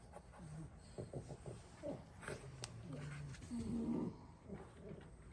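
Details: Six French Bulldog siblings asleep on the floor during a daytime nap after play; short low snorting snores in uneven bursts, with a longer nasal grunt toward the end.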